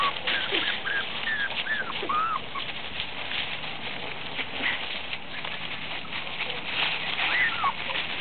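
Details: Shih Tzu puppies at play in leaves: a few clear, whiny, bending yelps early on and again near the end, against continuous dry rustling and scratching of leaves.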